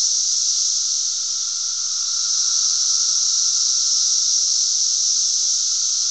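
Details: Many cicadas in Glen Ellyn, Illinois, on June 10, 2007, filling the air with a steady, piercing, high-pitched buzzing hiss that holds unbroken at constant loudness, a thin lower tone running underneath.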